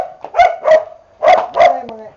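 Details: Boxer dogs in training give two pairs of short, harmonic barks, each about a quarter second long, as a man calls out commands.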